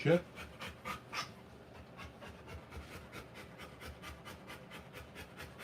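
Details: Rottweiler dog panting while giving birth to puppies indoors: quick, breathy, even puffs about three per second. One brief voiced, rising sound opens the clip.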